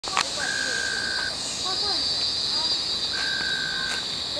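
Frogs give steady, even-pitched calls about a second long over a loud, continuous cicada drone.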